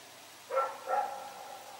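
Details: Night barking from Rex, a dog running around in the dark, recorded September 21, 2018 at Pyrga: two quick, ringing barks in close succession, trailing into a faint tonal tail, otherwise quiet.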